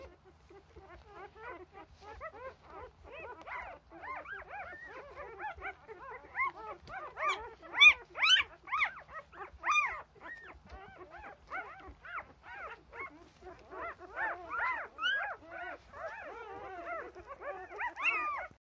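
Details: A newborn Rough Collie litter, four days old and eager to nurse while the mother tends their rears, 2 June 2021; a dense chorus of overlapping squeaky whines and yelps, rising and falling without pause, growing louder midway.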